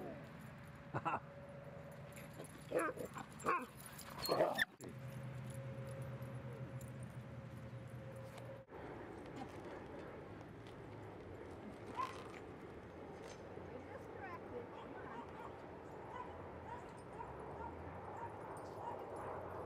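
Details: Dogs playing at Seal Point Dog Park beside San Francisco Bay. A few sharp barks come between about three and five seconds, then a steady low outdoor rumble with faint voices.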